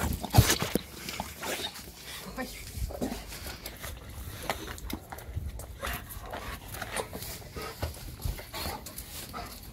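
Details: German Shepherd Evo, happy to see his owners come home, gives soft whimpers and quick panting amid scrabbling paws and bursts of noise, while people talk over him.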